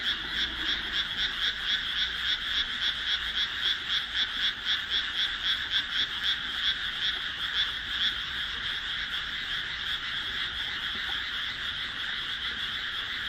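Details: Frogs in a rice paddy among houses, planted 1 June 2012, calling as it grows dark; one close frog gives rapid pulsed croaks about four per second for eight seconds over a dense background chorus.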